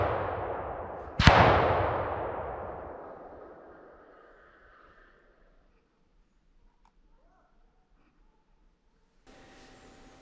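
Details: A single loud gunshot with a long echoing decay that fades over about four seconds into near silence, followed by faint knocks and a low hiss near the end.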